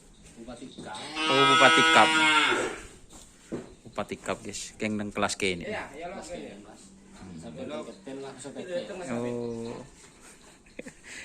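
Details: Cattle readied for a karapan sapi bull race event at a training ground in Indonesia; one long, strong harmonic moo early on, then weaker lowing calls mixed with men talking.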